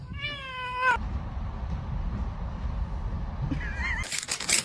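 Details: Domestic kitten meowing: a clear, drawn-out, slightly falling meow lasting under a second, then a quiet pause with background hum, a brief wavering second meow, and a sudden burst of broadband noise at the end.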